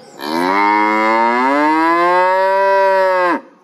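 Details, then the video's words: A single prolonged cow moo lasting about three seconds, rich and harmonic, rising slightly in pitch before cutting off abruptly. "cow voice,សំលេងគោយំ"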